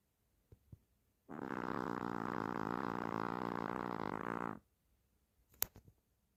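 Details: Sleeping Chihuahua Hershel snores like a human: a long rattling, fluttering snore about three seconds long, rough and evenly pulsed, framed by soft clicks and quiet breathing noises before and after.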